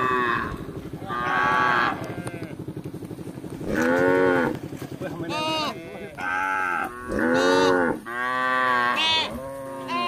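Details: Village cattle, tame and wandering in search of grass, calling repeatedly: a rapid series of overlapping moos, some higher and bleating, some deeper and rounded, rising then falling, with barely any gap between calls.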